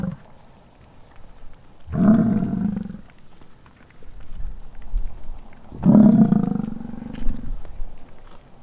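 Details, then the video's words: Bison roar during the rut on a Wyoming ranch near Wright: two long, deep, lion-like growling roars about four seconds apart, each roughly a second long, with quiet rural background between them. "BISON ROAR! - Wyoming Bison Rut"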